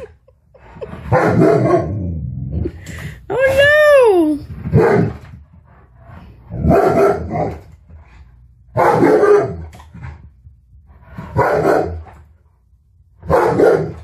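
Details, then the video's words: Tonka, an Alaskan Malamute, reacting to a mannequin head he has never seen before; loud harsh bark-woofs repeat every two to three seconds, with one rising-falling yowl between them and a woman's worried voice urging caution. "Malamute Attacks Mannequin Head"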